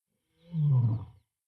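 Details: Lion in Tanzania's Serengeti National Park at the end of the dry season: one deep, rough growling roar under a second long, swelling and then fading quickly, with nothing else heard around it.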